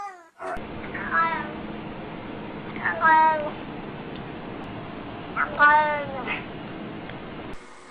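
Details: Domestic cat in a compilation of cats 'speaking' and making weird noises: three drawn-out, wavering meows, each rising then sliding down, spaced about two seconds apart over a steady low room hum.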